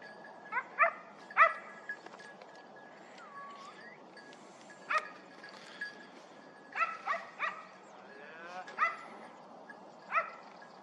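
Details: Hound on a hare hunt at the 2023-24 season opening, after a dry summer: harmonic baying barks, singly and in quick runs of two or three, spaced irregularly over a low rustling outdoor background.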